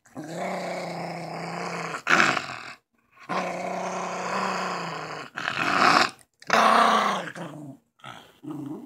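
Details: Schipperke growling over his chew toy, all growl and no bite; sustained low rumbling growls lasting about two seconds each, rising in intensity, broken by brief silences.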